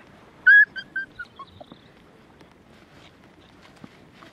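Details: Border Collie puppies, five males of the litter of LIXIE, playing and exploring a new sunny spot with a young eight-month-old dog; a high whistled whine that drops in pitch over several short repeated notes, then faint background rustling.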